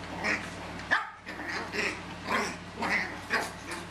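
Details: Chihuahua puppies from two litters, 13 and a half and 10 weeks old, playing in a carport: a run of short high yips and small barks, about one every half second, over a steady low hum.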